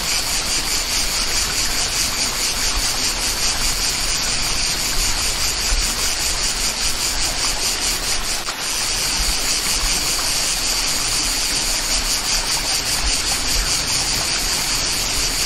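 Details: Steady chorus of cicadas in a country setting with a waterfall, a loud shimmering buzz that pulses rapidly without pause, blended with continuous gushing water and a momentary dip near the middle.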